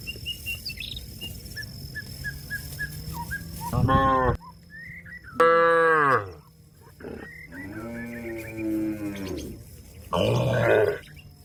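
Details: Repeated calls from a cow summoning a companion feeding on grass in the field: four hoarse, harmonic moos of varying length a second or two apart, some rising then falling, with bird chirps early on.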